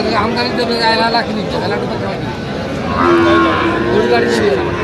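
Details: At Aftabganj cattle market on 28/9/25, Sahiwal bull calves on sale to Dhaka farmers. A single long, steady moo rises out of loud bargaining chatter partway through, with other voices and crowd noise throughout.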